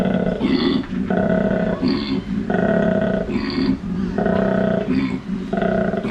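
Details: Loud koala bellow recorded at a wildlife park in Port Douglas, Australia. Deep, rhythmic, pig- or cow-like grunting alternates between rough rasping inhales and buzzing droned exhales, repeating about every second without pause.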